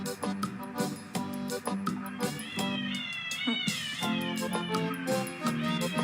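A domestic cat meows in drawn-out, wavering cries over steady background music.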